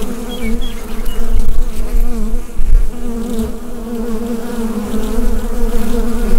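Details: Steady hum of a bee hive, recorded with a Rode NT-USB microphone. The deep, continuous buzzing throbs slightly in loudness, with a few faint high chirps early on.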